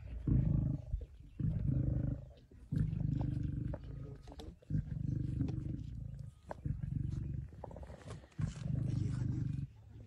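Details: Lions, including a male, feeding together on a buffalo carcass on 26 September 2023: a run of about six rough, low growls, each one to two seconds, rising and falling in loudness.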